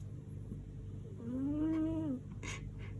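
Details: Pet cat Lady Silvana, snoring like a tractor in her sleep: one softer, slightly rising then falling tonal snore of about a second, followed by a few brief noisy rustles or clicks against low hum.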